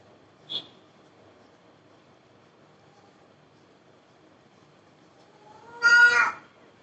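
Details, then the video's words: Babi the cat lets out one brief meow near the end after a long quiet stretch, preceded by a sharp click-like tap. "cat Babi"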